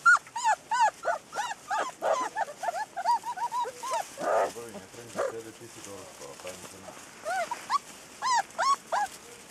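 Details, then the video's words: Ten newborn Rhodesian Ridgeback puppies with their mother, hungry at feeding time, give a dense chorus of high, rising-then-falling whines and squeals, several overlapping, with a short stretch of lower murmuring mid-way before the squeals return. "Rhodesian Ridgeback puppies"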